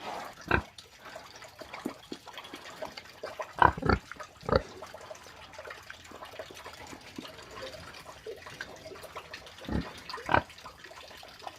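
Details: Farm pig giving scattered short, rough grunts, the "ronc ronc" sound, single or in pairs several seconds apart over a steady background hiss.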